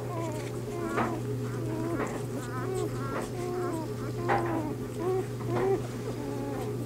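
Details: Litter of Bernese Mountain Dog pups only days old, born to Bear: thin wavering whimpers and brief squeaks come in small clusters about every second, softer and more spaced, with a constant low hum behind.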